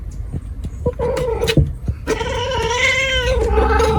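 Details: Cat, shown as a big cat alongside a small cat: a few short clipped calls, then a long, drawn-out, wavering yowl with rich harmonics that holds steady for about two seconds before tapering off, over low background rumble.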